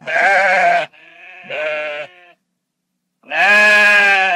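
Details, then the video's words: Farm sheep giving loud, trembling bleats: a long harsh cry, a fainter overlapping bleat, then a pause before another strong, drawn-out wavering call. "SOM DE OVELHA"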